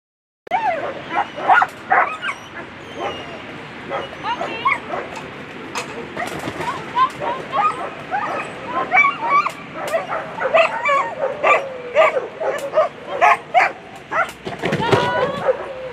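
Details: German Shepherds at a World Championship agility competition, A2 Sunday run: excited dog barks and high yips come in quick irregular bursts, mixed with whimpers, voices and crowd noise.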